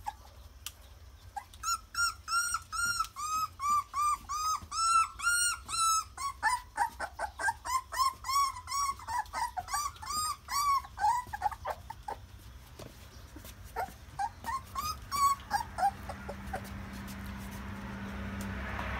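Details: Puppies walking on their first day, whimpering in a rapid run of high, arching whines, about three per second, fading after twelve seconds into a few last squeaks over a steady room hum.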